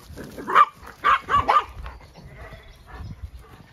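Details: Farm sheepdogs on a regenerative sheep farm in County Kilkenny, Ireland, barking while a ewe is turned out with the hoggets; four short, sharp barks in under two seconds, then quieter shuffling sounds.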